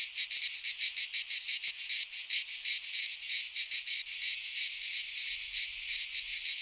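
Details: Loud cicada song in a Greek pine forest at midsummer: sharply pulsed buzzing at first, about three throbs per second, then merging into a smoother steady hiss.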